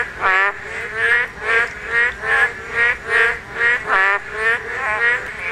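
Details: Spawning Korean narrow-mouthed toads: loud, reedy croaks with a wobbling buzz, repeated fairly regularly, about a dozen in quick succession, with faint calls of others behind.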